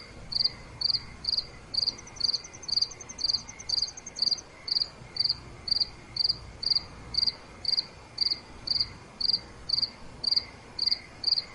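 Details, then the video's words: Crickets chirping at night: bright, high pulsed chirps repeated steadily about twice a second, with a fainter, faster trill from a second insect briefly overlapping early on, over a quiet background hiss. "Nighttime Cricket Sounds—Relaxation Sounds Nature Crickets Chirping Cricket Sounds Night"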